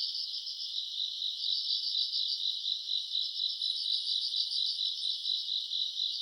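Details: Recorded around August on a summer night, grass insects give a bright, rapidly pulsating high trill, many callers merging into one steady chorus, with a faint thin whistle briefly above it.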